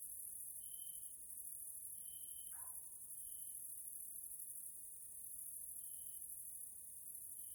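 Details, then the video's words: Grasshoppers calling at evening in a Hungarian nature area, Central Europe: a dense shrill insect hiss with separated steady tonal notes every second or so, and a short descending call from another animal partway through. "grasshoppers sounds in nature area Hungary Central Europe"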